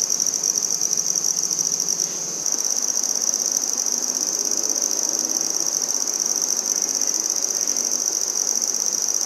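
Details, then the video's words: A red-headed bush cricket, or handsome trig, sings in Maynard, Massachusetts, September 14, 2019: a continuous, very high, shimmering trill of fast, even pulses with a brief pause, and no other clear sounds. "Handsome Trig Singing"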